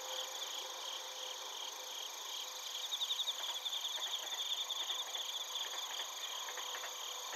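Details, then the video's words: Crickets and bell crickets from Narita in Chiba, Japan, captured with a TASCAM Portacapture X8. Continuous high shimmering trills with rapid pulsed chirping, briefly joined midway by scratchy broadband rustling. "スズムシとコオロギの鳴き声 - Chirping of crickets"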